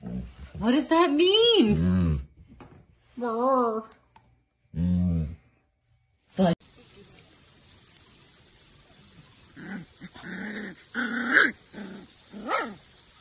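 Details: Siberian Husky puppy in a compilation of dramatic husky behaviour: wavering, sing-song woo-woo calls with shifting pitch, three drawn-out bursts, followed by a sharp knock and a human voice over background noise.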